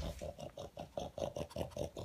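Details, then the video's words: Pug sniffing out leftover food pellets, making noisy vacuum-cleaner snorts; a steady string of short nasal snorts, about four per second. "My Pug Has Turned Into A Noisy Vacuum Cleaner"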